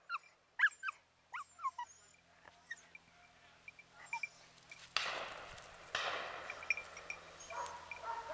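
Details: English Cocker Spaniels Yatagan z Blatova, mature, and young Easy vom Krebsbachtal on a pheasant hunt, 29 November 2011, their first joint outing. High, sliding whimpering yelps come in a quick cluster early, then rustling and brushy field noise take over.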